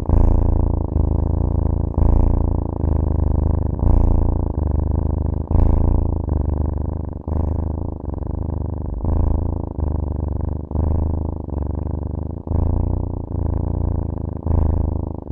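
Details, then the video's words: Close, loud cat purr, a deep buzzing rumble rich in low harmonics, broken into regular breaths about every one and a half to two seconds, with brief clicks at each turn of the breath. "CAT SOUNDS"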